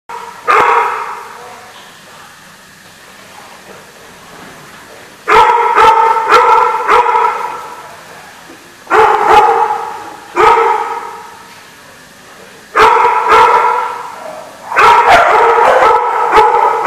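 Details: Dogs barking at the Barking Lot on 14 November 2014: loud bursts of harsh, ringing barks come in quick clusters a few seconds apart, with quieter stretches between them.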